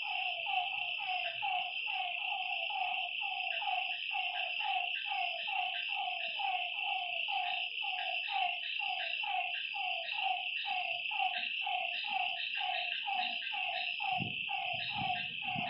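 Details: Lakeside frogs calling through the night in a long, evenly paced series of short croaks, backed by a persistent high insect drone and a low thump near the end.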